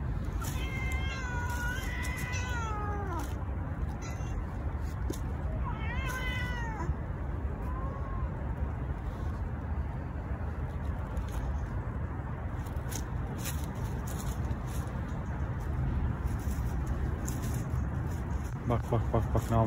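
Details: Angry male cats living on the street challenge each other, apparently struggling over territory; wavering, drawn-out harmonic yowls around two and six seconds, a short low moan near eight seconds, then quieter noise, with a steady low rumble of traffic throughout.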